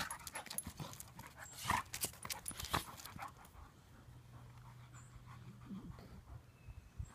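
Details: Two Labrador retrievers, a chocolate aged two and a half and a seven-month-old named Coal, wrestling in play; soft rhythmic panting and scuffling thuds with scattered sharp clicks and knocks, louder bursts early on.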